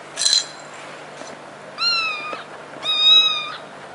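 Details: Funny domestic cat giving two drawn-out, clear meows, each about half a second, steady in pitch with a slight rise then fall, after a brief scrape-like noise at the start; quiet room background.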